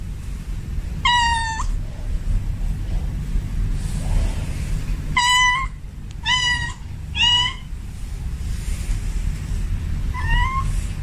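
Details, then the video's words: Male domestic cat in heat calling a female: short, high harmonic meows, flat and slightly wavering, in a loose series of five with gaps of one to three seconds, over a steady low background rumble. "Suara kucing Jantan Birahi memanggil kucing Betina"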